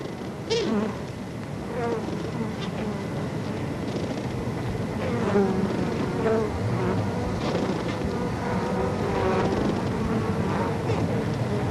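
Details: Carniolan honey bees on the comb of an observation hive with the glass removed, recorded July 1990: a dense buzzing hum with wing puffs during the waggle dance, modulated by waggling, most likely attention signals for bees in the darkness.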